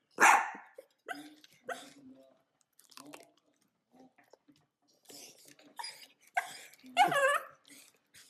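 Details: Sausage dogs (dachshunds) eating food: one loud bark at the start, a few short yaps with chewing noises in between, then a wavering high yelp-like bark near the end, with light human speech and music.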